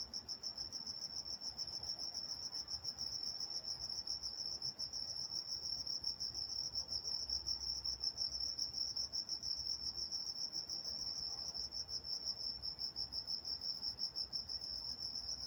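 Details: Crickets singing at night in Walnut, California, a continuous high shimmering chirr with faint pulsing, over a steady low background rumble.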